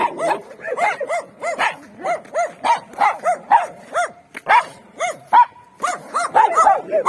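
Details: Street dogs roaming free in winter, some fenced in, give a steady run of arched, mid-pitched barks about twice per second, with a second dog's barks overlapping at times.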